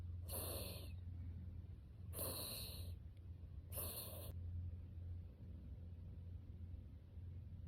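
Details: A Mame Shiba sound asleep while held in someone's arms, snoring in three breathy, snorting puffs about every two seconds. The puffs fade into quiet breathing over a steady low rumble.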